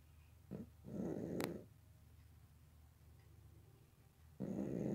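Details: Sleeping house cat snoring loudly, heard as coarse, grating breaths of about a second, one short catch before the first snore and another long rasp beginning near the end, over a low constant background hum.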